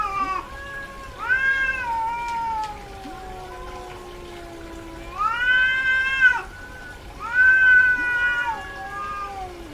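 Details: Female domestic cat in heat calling with three long wailing meows, each swelling then falling, separated by quieter low moaning tones, with a faint steady hum in the background.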